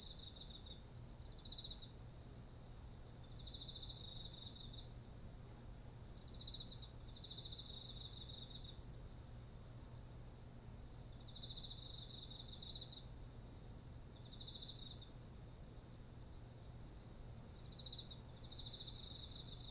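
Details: Beside ripe autumn rice fields, insects fill the air, recorded on a ZOOM H1essential: a steady shrill tone above repeated rapid pulsed trills and shorter lower buzzing phrases, with a faint low steady hum underneath.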